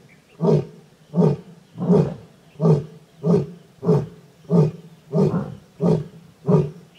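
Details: Asiatic lion pair, a lion and lioness, mating and roaring at Sasan Gir during a safari; deep grunting roars repeated about every 0.7 seconds, ten strong pulses in a steady rhythmic series.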